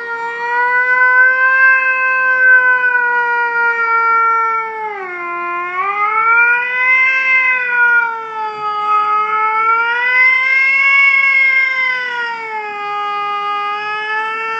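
A domestic cat holds one drawn-out, rich-toned yowl for many seconds. Its pitch dips and swells slowly, much like an ambulance siren winding up and down.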